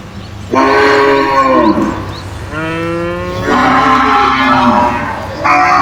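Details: Caged cows calling back and forth with loud drawn-out moos, three or four long harmonic bellows in quick succession, one sliding upward, with a low rumble underneath.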